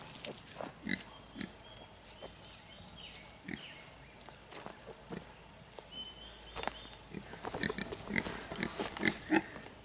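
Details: Two-week-old Kunekune piglets grunting steadily, short snuffly grunts repeated several times a second, growing busier and louder toward the end, with a thin whistling tone drifting in the background.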